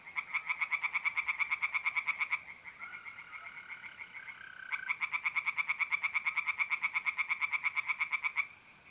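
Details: Tree frogs sing at night in a north-east Italian pond in mid-April. Two long bursts of quick, regular rasping pulses are split by a pause of about two seconds. In that gap, mole crickets keep up a continuous high trill.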